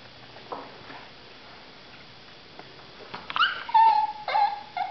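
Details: Two pet dogs, Natasha the Russian Toy Terrier and Soxie Sue the Papillon, begging for dinner indoors; after a quiet start, a few sharp yips lead into drawn-out, nasal whines that hold steady, then dip, with a person asking what Tasha wants.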